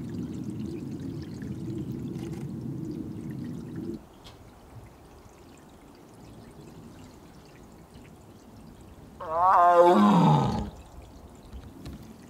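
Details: Korean tiger siblings Mugung and Beom, kept apart during the female's heat, calling to each other. After four seconds of low rushing, water-like noise comes a single loud, moaning call of about one second whose harmonics slide downward in pitch.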